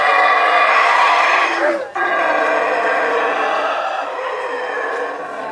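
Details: Howler monkeys in Belize roar in a deep, rasping, continuous chorus that swells and breaks only briefly.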